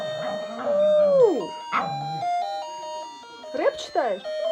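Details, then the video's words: Pet Pomeranian indoors singing along to a ringing alarm clock melody: one drawn-out howl sliding downward, then short yelping notes, with a woman's voice coaxing it to sing over the electronic tune. "Душевное пение шпицули Лакки под будильник"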